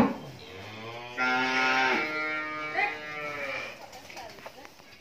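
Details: Thirteen-month-old Friesian heifer calf on a farm in Bhangura, Pabna, Bangladesh, calling with a fairly high, nasal moo. The bellow lasts around two seconds with a slight wavering bend, followed by a shorter trailing bleat-like note and faint background voices.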